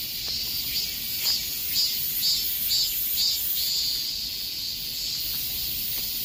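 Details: Chorus of cicadas in summer heat, a continuous high shrill buzz with pulsing swells repeating roughly twice a second through the middle, then settling into an even drone.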